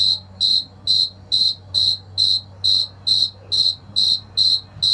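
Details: A male cricket, filmed in Argentina, chirps steadily by rubbing its wings to attract a mate, short trilled bursts repeating a little over twice per second.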